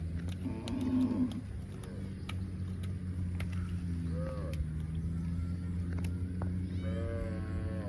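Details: Cow giving a long, steady, low droning moo held for several seconds, with short higher-pitched calls and scattered clicks and knocks over it.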